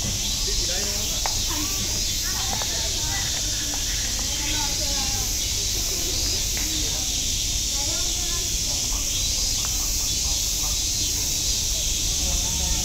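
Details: Cicadas singing at Nogeyama Zoo, Japan: a dense, continuous high-pitched hissing drone without pause, with faint voices and other soft chirps underneath.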